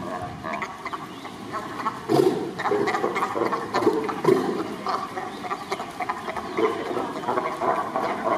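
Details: Sea lions trading calls on 2 May 2023: loud, rough barks come in bursts, with the strongest around the second and fourth seconds, over a steady noisy background.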